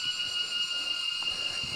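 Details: Many locusts in the trees of a forest by a river in Vietnam, near the Chinese border, give a loud, steady, shrill, continuous high buzzing chorus.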